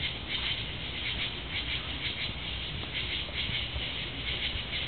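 Tree frogs give high, rapid trilled pulses that come in repeated bursts over a low rumble.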